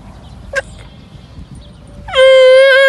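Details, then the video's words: Young camel left unaccepted by its mother calls out plaintively near the end. The rich, harmonic bellow rises sharply and then holds steady, after a short faint sound and a quiet lull. "الصوت الحزين والمميز/ صوت صغير الجمل او الناقة -السَّقْب - الحَائل - الحوار"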